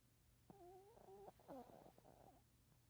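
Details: A Shih Tzu, fallen asleep on 15 January 2019, snores with a nasal, whistly rasp drawn out over a single breath.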